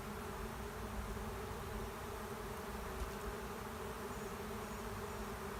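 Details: Honey bee swarm settling into an empty hive in a driveway, heard as a continuous, even, low-pitched drone of countless wingbeats with layered humming tones and no pauses.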